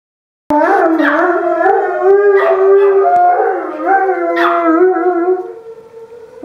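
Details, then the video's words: Oso, a giant Alaskan Malamute, and Princess, a Chihuahua, howl along with the Wednesday noon siren; long wavering howls that rise and fall in pitch, overlapping voices with a sharp higher yelp near the end. "Giant Alaskan Malamute and Chihuahua Howling with the Siren"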